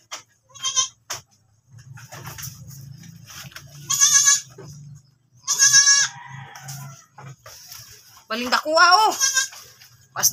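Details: Goat that has given birth once more, bleating four times: short nasal bleats early, two long loud ones in the middle, then a quavering, wobbling bleat near the end, with people talking quietly and a low hum throughout.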